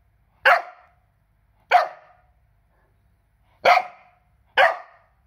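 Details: Four-month-old Cardigan Welsh Corgi puppy barking indoors: four sharp, short barks at irregular intervals, two close together, a pause, then two more, each clipped and bright with quick decay, against an otherwise quiet background.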